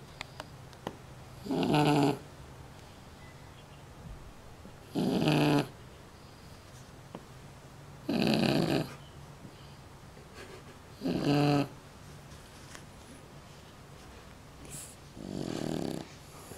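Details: A Shar Pei dog snoring like a grown man. Five loud, rasping, broadband snores about a second long come at fairly steady intervals of roughly three seconds, with near-silence in between.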